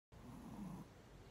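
A Shih Tzu snores once, a low, rough, rumbling breath lasting under a second.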